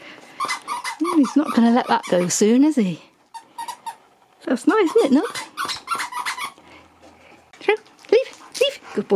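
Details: Nook, a male Husky, 'talks' to his Easter egg before playing with it: wavering, up-and-down howly yodels in quick bursts, interleaved with a person's voice indoors.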